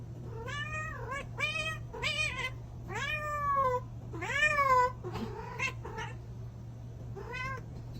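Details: A cat calls in a rapid series of short, harmonic meows, some rising then sliding down, others brief and clipped, with a brief pause before a final meow, over a steady low hum.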